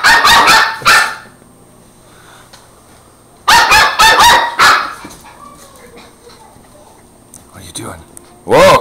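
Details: Border Terrier puppy barking while fighting a broom and running away from it: bursts of three to five sharp, high barks separated by quiet gaps, with a person talking in between.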